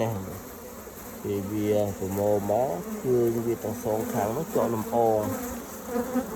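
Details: Honey bees in the morning, gathering multicoloured pollen from flowers all around: low droning buzzes that rise and dip in pitch as insects fly past, in short bursts separated by brief gaps.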